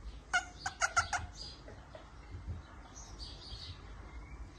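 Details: A male Chihuahua, tagged as a puppy, lets out a quick run of four high, sharp yips, then falls quiet.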